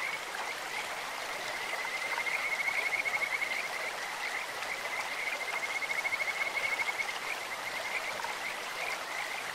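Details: Kajika frogs in a clear stream give rapid, high, bird-like trills at one steady pitch. Two louder pulsed runs come in the first half and later. Broad rushing water sounds throughout.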